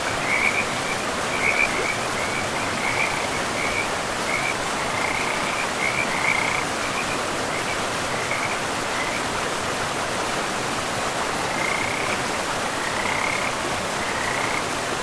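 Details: Forest river frogs give bursts of short, rattling pulsed croaks at a steady pitch, dense at first and then sparser with gaps, set against the steady broad hiss of flowing water in a pristine, mossy woodland.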